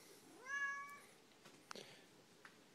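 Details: [4, 'Siamese cat, complaining, gives a short rising meow of about half a second, followed by faint knocks and clicks in a quiet room.']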